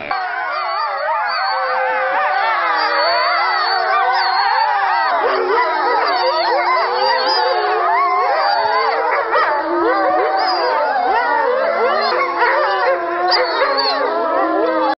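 A chorus of grey wolves howls without a break, many voices rising and falling in long, smooth glides. Some tones waver and break upward while others hold steady, weaving into a dense, layered sound.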